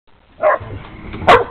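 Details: Domestic dog barking at another dog: two short, harsh barks about 0.8 seconds apart, the second louder and sharper, with faint low rumbling between them.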